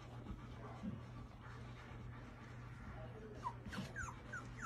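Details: Labrador Retriever whimpering: a run of soft, high whines that slide downward in pitch, coming in quick succession near the end, above a constant low hum.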